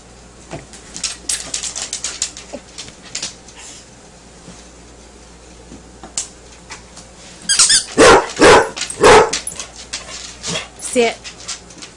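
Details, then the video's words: Buster, a Basset Hound, barks while playing with his toy alligator indoors; scattered thuds and soft sounds come first, then a burst of four loud, deep barks in quick succession near the eighth second, with a short person's command beforehand. "basset hound barking and playing with toy alligator"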